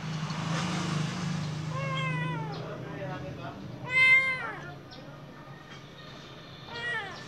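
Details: Golden-eyed Khao Manee cat looking outside gives three meows about two seconds apart, the middle one loudest and longest, each bending up then down in pitch, over a low steady hum and faint room noise.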